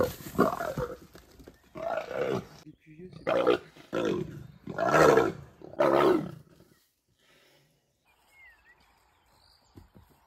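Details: Morning squabble between two female leopard sisters: five loud, rough snarling roars in quick succession, each about half a second long, then near silence with a faint chirping bird.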